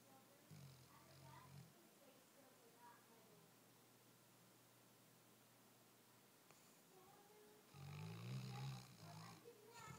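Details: Wilson the Weimaraner sleeping very soundly, giving deep low rumbling snores, one long breath early on and another louder, rougher burst around eight seconds, with quiet room hiss in between.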